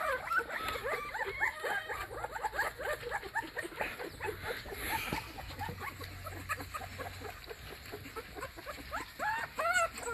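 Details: A puppy left in a crate for hours keeps crying: dense, overlapping arched whimpers and squeals in quick succession, so close together that several cries seem to run into one another, with faint background noise.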